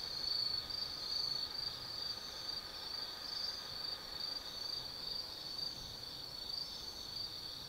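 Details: Night chorus of autumn insects in Tsukimi Forest, Nanno, Kaizu City, Gifu, Japan: a high, unbroken ringing trill with slight pulsing swells runs throughout over faint low ambient noise.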